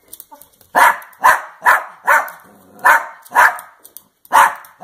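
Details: Female Dachshund kept as a pet, barking while hungry and begging for pizza: seven loud, even barks at roughly half-second intervals, each sharp and short, with little background noise.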